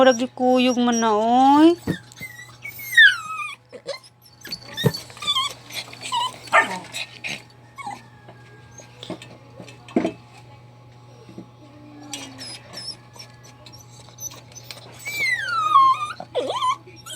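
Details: A dog crying with rising, wavering whines that start loud, then sharp yelps and scattered knocks, and more drawn-out falling whimpers near the end, over a constant low hum.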